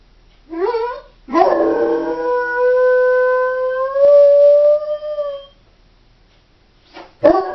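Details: Home-alone female Doberman starts with a short wavering whine, then launches a long level howl lasting about four seconds that rises slightly near its end, followed by silence and a brief abrupt cry.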